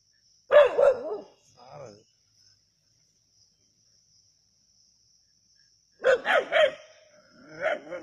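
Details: Country dogs at Keezhadi bark while hunting a snake: a quick cluster of harsh barks, a long pause, then another rapid run of overlapping barks over a constant high insect drone.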